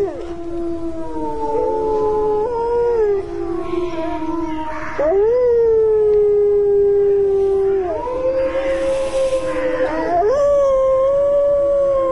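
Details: Several wolves howling together during a snowstorm: long, steady, overlapping howls at different pitches that shift in small steps and merge into an unbroken chorus over a constant hiss of wind.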